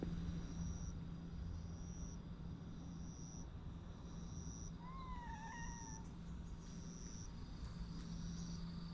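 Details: Orange-and-white stray cat nicknamed Skeleton Niki, filmed outdoors in Japan: one drawn-out meow around five seconds in, wavering then falling, set against a steady low hum and a faint repeating high tone.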